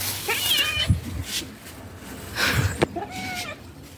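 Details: Stray cats outdoors, five males trying to mate with one female. Several short wavering meows and a drawn-out nasal yowl, separated by quieter gaps with faint background noise.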